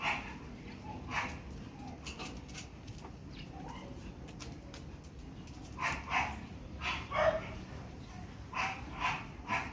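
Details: Pomeranian being photographed at Parkhomes in Muntinlupa; a few isolated yips early, then a quick cluster of high, clipped barks toward the end, over soft ambient hum.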